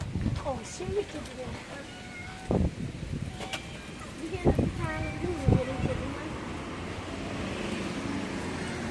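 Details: Hungry tabby street cats begging for food, one angry, give a cluster of bent, wavering meows, some rising and some falling, in the middle of the stretch, with human speech and passing vehicle noise behind.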